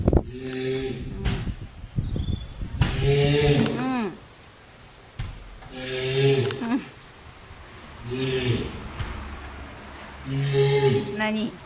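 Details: Captive female walrus at Ise Sea Paradise aquarium in Japan, near closing time, calling for a greeting: four or five deep, drawn-out moaning calls with rich layered tones, each about a second long and separated by quiet gaps.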